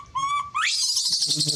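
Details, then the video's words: A monkey gives a brief, steady whistled wail, then breaks into a loud, rising, harsh scream while calling for help. "big scream so loud calling help"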